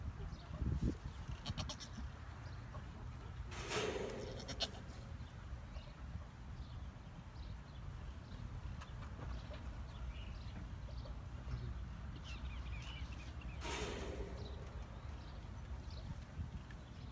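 A young Nigerian Dwarf goat gives two wavering, nasal bleats about ten seconds apart.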